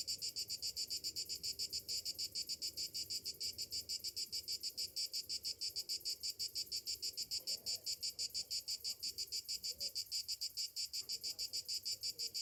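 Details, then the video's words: Morning chorus of cicadas in summer, an unbroken piercing drone broken into quick rhythmic pulses around three per second, with faint low bird-like notes in the background. "Morning summer cicadas sounds"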